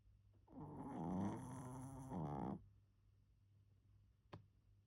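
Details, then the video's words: Pomeranian named Kongtteok snoring while asleep indoors: one long, rough, harmonic snore of about two seconds that wavers slightly in pitch, then quiet room tone and a single sharp click near the end. "코골고 자는 포메라니안 콩떡이"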